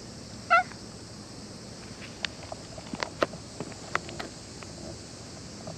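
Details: Cat giving one short, wavering meow near the start, loud and harmonic, followed by scattered faint clicks and taps against a quiet background.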